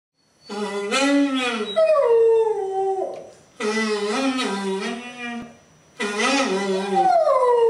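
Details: A dog howls a long, wavering, melodic duet with a saxophone while relaxing on a staircase, in a musical meditation ritual. Three sliding, rising-and-falling phrases are separated by short pauses.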